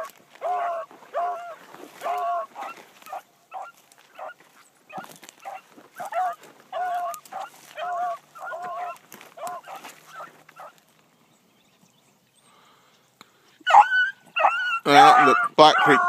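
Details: Bee, a young female Blackcreek hound, runs for the first time one morning. She gives steady bursts of ringing, harmonic bawling barks, roughly one and a half per second. The barking pauses briefly, then returns as louder, harsher, closer barks at the end.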